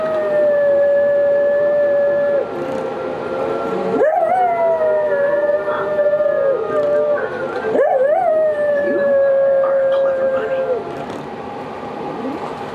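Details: A Cocker Spaniel that loves to howl howls along to its favourite Zootopia scene in long, steady notes, each starting with a sharp upward slide.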